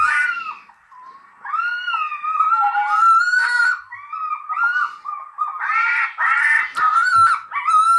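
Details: A red fox gives its mating call: harsh, drawn-out screams, high and wavering like a shrieking child, one after another with short breaks, heard in a small indoor room.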